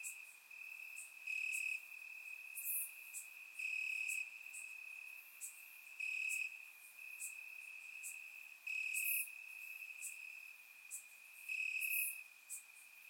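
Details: Summer night in Bulgaria, crickets chirping in grass: continuous shrill trilling that swells into louder bursts roughly every two seconds, accompanied by sporadic high-pitched clicks from other insects; no other sounds.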